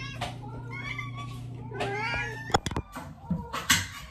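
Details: Hungry cats meowing indoors before their meal: a few drawn-out, wavering meows in the first half, then clattering knocks and rustling with a further short meow near the end over a low hum.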